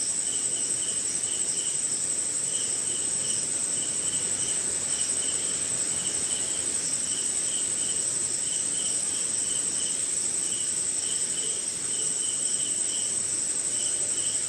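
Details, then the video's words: Rainy night somewhere in India with crickets: continuous piercing high trill layered over evenly spaced lower chirps in quick pairs and triplets, with diffuse rain patter underneath throughout. "Cricket & Swamp!"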